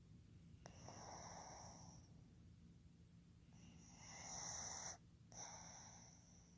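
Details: Fukuzou, a male pug born 15 July 2020, snoring indoors while asleep: two long, hissing, breathy rasps of about a second and a half each, separated by a quiet pause, with a faint steady hum behind.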